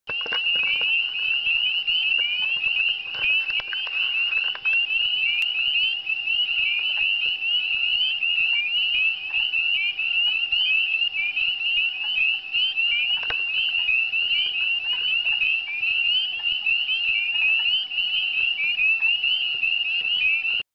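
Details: Spring peeper (Pseudacris crucifer) chorus on a dark late evening, 29 April 2009, on backroads of Dowling near Sudbury, Ontario: countless high, piercing peeps overlapping into a continuous shrill ringing.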